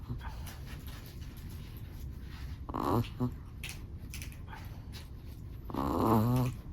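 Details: Black-and-tan Chihuahua asleep in a small room, giving two rasping, harmonic snores about three seconds apart, the second longer and fuller, with a faint steady hiss between breaths.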